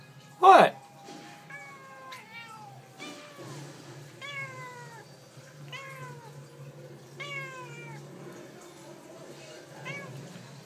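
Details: Domestic cat talking, answering with a run of about seven harmonic meows, each sliding downward and spaced roughly a second apart, after one sharp loud noise at the start; faint human voice in the background.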